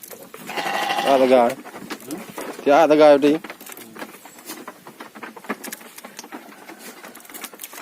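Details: Gibas sheep on a modern farm with a three-month growing cycle: two quavering bleats a second apart, the first longer and fading, the second short and vibrating, followed by scattered knocks and rustles.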